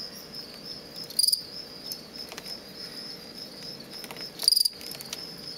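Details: A captive male fall field cricket, offspring of ones collected from a road verge near Lethbridge, Alberta, gives aggressive song used in contests between males: short musical chirps of a few rapid pulses about three seconds apart; fall field cricket.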